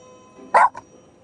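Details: Spitz dog gives one short, sharp bark followed at once by a fainter second yelp, over a soft, steady musical tone in the background.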